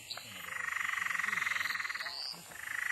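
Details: Peron's tree frog at night on a road at Mt Glorious, south-east Queensland, Australia, gives a fast, rattling, cackling trill of rapid pulses lasting about two seconds, then starts a second burst.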